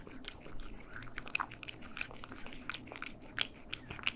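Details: Close stereo sound of cats eating in a small room, quick moist chewing and smacking with a few bright crunchy bites, fairly regular, over a faint hum.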